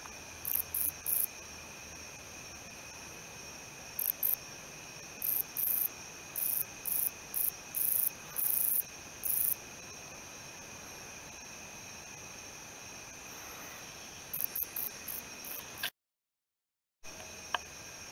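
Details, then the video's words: Stridulating male wingless meadow katydid, Odontoxiphidium apterum, giving very high-pitched dry buzzes in irregular runs of short pulses, some slightly longer, with a quiet gap near the end; constant faint hum underneath. "O. apterum calling"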